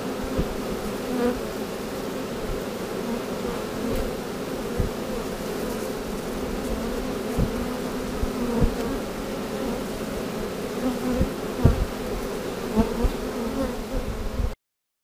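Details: A honey bee swarm, being knocked from a limb into a box, hums steadily, a dense low drone of many wings with occasional louder passes.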